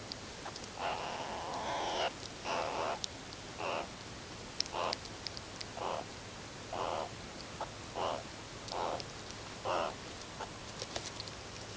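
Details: Members of the wild Ungulungu meerkat group groom and huddle at sunset before falling asleep one after another. Brief, rough midrange calls repeat roughly once a second in an uneven series over a faint low hum.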